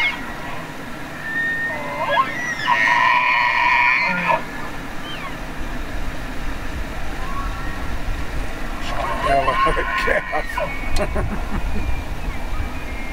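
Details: Elk (Cervus canadensis), bugle.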